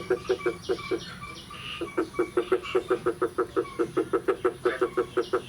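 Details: Frogs calling on the morning of 9 May 2022 after the first rain of the year: a steady run of short, low, throaty croaks, about three or four each second, with faint higher chirps behind.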